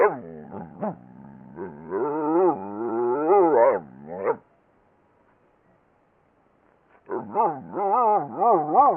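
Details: Dog 'talking' with long, wobbling, growl-like moans that rise and fall rapidly in pitch for about four seconds, then silence, then another quavering, yodel-like string of vocal sounds.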